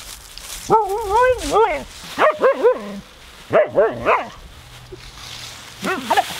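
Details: Nora, a husky, playing in her leaf pile: four bursts of warbling, yodel-like vocalizations, each rising and falling in pitch with rich harmonics, separated by short pauses, over faint outdoor background.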